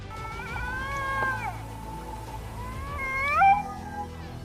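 A Canada lynx gives two drawn-out, wavering cat-like yowls, each bending and falling in pitch.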